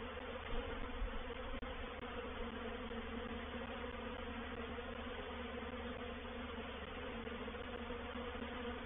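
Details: Many honey bees of a reproductive swarm settling into a swarm trap at Painted Peacock Manor, 04/07/21. A thick, continuous buzzing drone holds steady throughout, with one brief click near the start.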